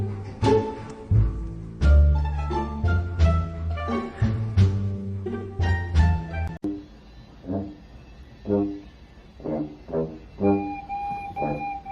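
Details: Plucked double bass and string music, first dense and rhythmic, then sparse plucked notes with a held high tone, without any animal sounds.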